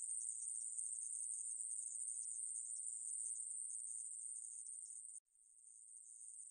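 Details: Aemaebuli grasshopper, 2020 recording: a shrill, continuous high buzz that stops abruptly after about five seconds, then resumes quietly and grows louder again. No other sounds.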